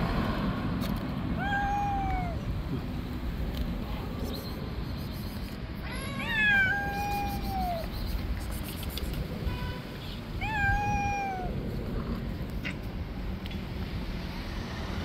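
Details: Stray street cats fighting over an angry white cat's territory: three drawn-out, wavering yowls, each bending downward at the end, spaced several seconds apart over a steady low rumble of outdoor noise.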